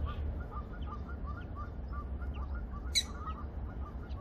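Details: Black-tailed prairie dogs in a group at Zoo Praha, whose exhibit lies between the bison enclosure and the refreshment area, give faint warning squeaks. Short, evenly spaced chirps repeat several times a second over a low rumble, with one sharp click midway.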